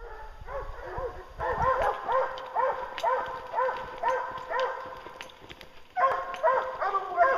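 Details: Hounds baying at a treed bear during a bear hunt, several dogs giving overlapping arched yelping bays in rapid irregular succession, with a louder burst of calls near the end.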